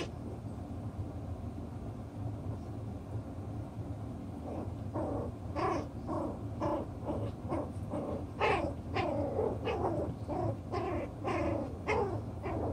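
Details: Six-week-old chocolate brown Toy Poodle puppies playing with their toys and sorting out the pecking order; after a quiet start, a run of short harmonic yips and whines comes in quick irregular bursts over a steady low rumble.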